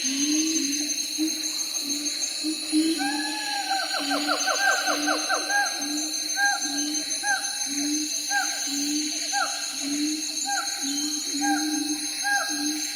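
Siamangs call with low hooting pulses and quick, rising barks that speed into a rapid series.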